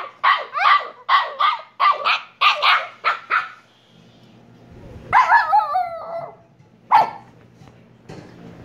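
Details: Rapid string of about seven sharp, high barks from a Shiba Inu pup (Kyno and Niro), followed by a pause, then a longer wavering yelp-howl and one final short bark.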